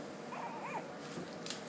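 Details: Puppies taking on stairs for the first time; a short, high, wavering whimper rises and falls twice while a person keeps coaxing them with repeated 'come on', followed by cheering.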